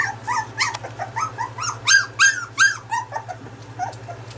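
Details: Dog, apparently a small one, giving a rapid run of high, arched whimpering yelps, about three per second, rising and falling in pitch and swelling louder mid-series before fading; quiet room background, no growling heard.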